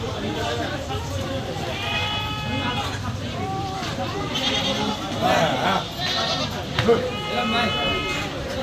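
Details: At a goat meat shop in Mirpur 6, castrated male goats bleat in short, quavering, rising-and-falling cries, two or three spaced bursts. Continuous chatter, shop noise and soft music dominate throughout.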